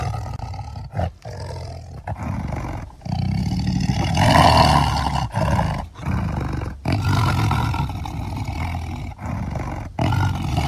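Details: Tiger roaring in a string of deep, rumbling bursts broken by brief silences, the loudest surge near the middle, growling low tones dominating throughout.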